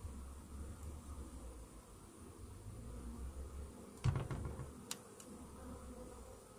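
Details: Low, even buzzing of honey bees in a Varroa-infested hive after a morning mite treatment, interrupted midway by a burst of knocking and scraping from handling the hive.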